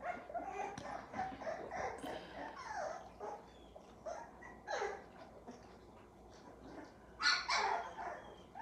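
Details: Squeaky, wavering whines and short yelps tumble over one another from a litter of nine American Pit Bull Terrier puppies, with a sharper, louder cry near the end.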